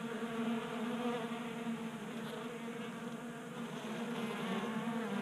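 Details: A crowd of honey bees at a 3D-printed table-top feeder in Colorado in January, active during late warmth. They produce a thick, unbroken, rich drone of wingbeats with slight flutter, over a hissy background.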